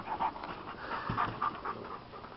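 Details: Domestic dog panting while taking a break from playing with a bigger dog, steady rapid breathy puffs throughout, with a person speaking nearby.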